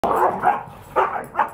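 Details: Two Siberian Huskies playing rough with each other, looking like fighting but enjoying it; harsh, grumbling play growls and yips in four quick bursts within under two seconds.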